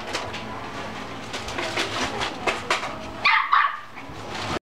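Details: Mixed-breed dog in a pet shop in Shizuoka, Japan, indoors, giving a quick run of sharp, uneven barks over steady room noise, ending with a couple of louder, higher yelps.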